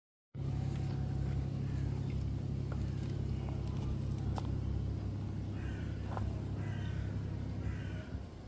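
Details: Friendly stray cat on a cat island, purring as it is touched and rubs against a person; a steady, deep rumbling purr runs unbroken throughout, with faint high chirps of other birds in the later seconds.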